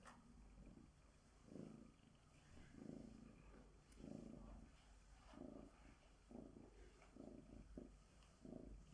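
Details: A female Bengal tabby cat being groomed with a glove gives a low, rumbling purr in uneven pulses, a little under one a second.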